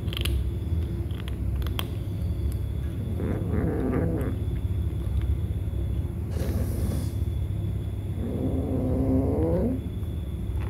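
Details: Domestic kittens squabbling while they eat. Bursts of low, rough, wavering calls come near the start and again toward the end, each a strained moan lasting about two seconds, over a constant deep background hum and a brief hiss.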